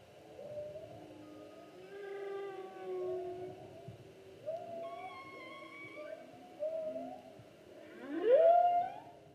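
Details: Humpback whale song, 2016 season, a sequence of short wavering moans and higher whistled tones, ending in a loud upswept whoop, with steady low underwater rumble throughout.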